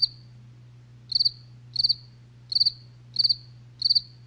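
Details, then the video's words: Night cricket chirping: a single chirp, a one-second pause, then pulsed chirps of about four rapid notes spaced roughly 0.7 seconds apart over a low steady hum. "SONIDO DE LA NOCHE | grillos relax"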